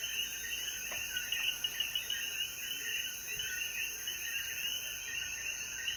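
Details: Dense chorus of coquí frogs after the rain at sunset in the mountains of Jayuya, Puerto Rico: overlapping chirpy two-part notes blend into a steady pulsing mass, over a constant high insect hiss.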